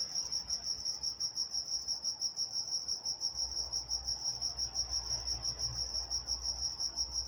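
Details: Crickets at night in Walnut, California produce a bright, steady high chirping, evenly pulsed about three times per second, over a quiet low hum.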